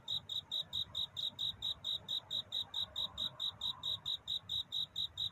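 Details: Cricket singing at night, a courtship song for finding love rather than crying: bright, high chirps repeated steadily about four times a second, with a soft low rumble underneath.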